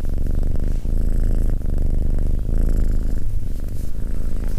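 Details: Abyssinian cat, a male, purring steadily while sitting calmly beside a person indoors; a continuous low rumbling drone with rhythmic pulsing and brief dips in intensity throughout.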